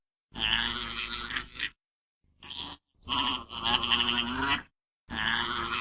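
An alpaca gives harsh, shrill, braying calls in bursts of one to two seconds with short pauses.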